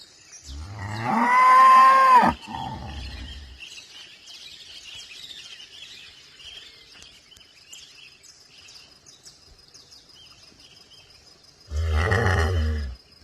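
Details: Farm cow gives a loud, drawn-out moo, a shorter second moo about ten seconds later, with twittering birds chirping steadily through the quiet stretch between calls.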